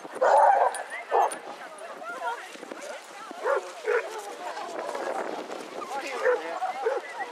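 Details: Basset Hounds, part of a group of 22 walking round Hazlehead Park, Aberdeen, Scotland, on 2 February 2014: a loud burst of short barks at the start, then scattered single barks amid steady people chatter outdoors.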